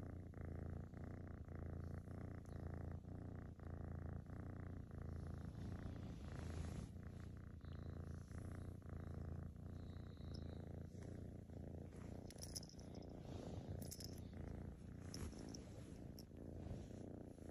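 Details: A half Maine Coon female tortoiseshell kitten purrs steadily while being petted close up, a deep rumbling vibration with a soft rhythmic pulse.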